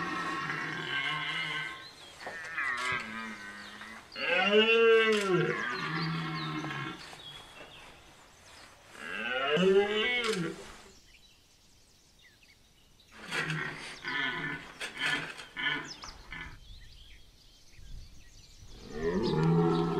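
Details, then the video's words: Red deer bellowing in the rut at Chambord, Loir-et-Cher: repeated deep, arching roars of a few seconds each, with quiet stretches between them and a final groan rising at the end. "Brame à Chambord Loir-et-Cher Cerf élaphe"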